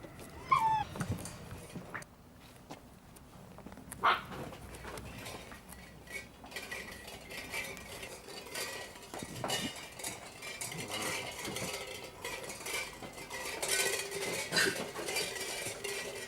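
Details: Puppies of the Chylandyk G-litter making noise: a few short high whines and whimpers rise near the start and again at about four and fifteen seconds, over steady clattering, rustling and shuffling.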